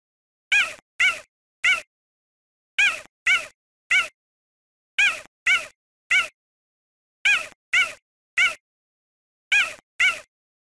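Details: Cheetah giving short, high, meow-like calls with a rising then falling tone. They come in tight groups of three, five groups spaced about two seconds apart, with silence between.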